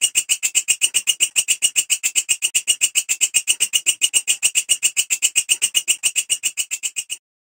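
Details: Walang kerik grasshopper, the belalang kecek, producing a harsh, even, high-pitched chirring of rapid pulses that continues steadily for about seven seconds before stopping abruptly, with no other sounds.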